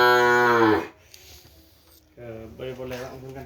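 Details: Sapudi Island bull-race breeding cattle at a private house: a loud moo under a second long sliding downward, then a pause and a softer, shorter lowing sound.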